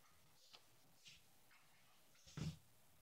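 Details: Pet Yorkshire terrier snorting while playing in his bed; two soft sniffs followed by one short, low, breathy snort near the end, in a quiet room.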